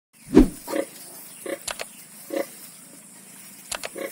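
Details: Pig on a farm where ten piglets were born, short low grunts repeated at irregular intervals, one louder grunt near the start, with faint background hiss.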